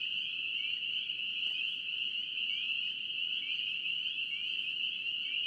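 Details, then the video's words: Spring peeper frogs in North Carolina calling as a dense chorus: a steady wall of shrill, high peeps with a few separate rising peeps standing out above the blend, and no other clear sounds. "NC Peeper frogs"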